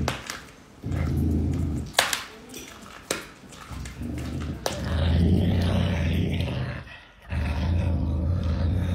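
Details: Caracal named Pumba eating meat, giving low, rumbling growls in long throaty bursts separated by short pauses, with some clicks and handling noise indoors.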